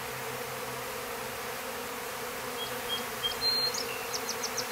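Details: Honey bees leaving their clustered winter hive at a farm in Stillwater, Minnesota; even low buzzing hum underneath, while a bird adds thin whistles and a quick run of high chirps in the final second and a half.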